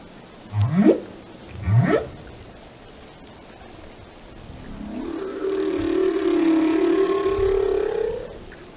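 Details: Singing whale in a calm, relaxing setting: two quick rising whoops a second apart, a pause, then a long swelling moan that climbs gently and holds, rich in overtones, against soft underwater hiss.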